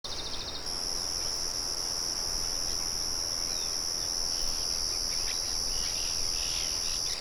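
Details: Crickets with birds near a mill: a steady high, shrill insect trill. It begins as rapid pulses in the first half second, then runs unbroken. Faint bird chirps sit under it, with a constant low rushing murmur from the mill.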